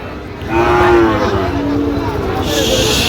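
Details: Sahiwal bull calves at Raniganj cattle market, a twice-weekly Monday and Thursday market, on 6 October 2025, Chattogram, Bangladesh; a drawn-out low moo with a slight falling pitch, over crowd chatter and a man speaking.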